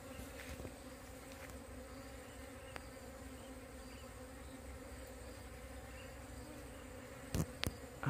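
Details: Wild bees from a split colony being moved by a beekeeper, their steady low hum with a band near 250 and 500 in the background, soft and even, broken by a few sharp clicks and handling knocks near the end.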